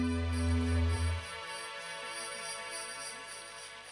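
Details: A jingling musical sting with a low sustained tone fades into a soft background hum.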